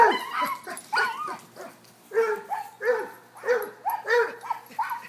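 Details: During a chase game between a cocker-hound, a Basset and a corgi, dogs give bursts of baying barks, some drawn out, several landing about every half second toward the end.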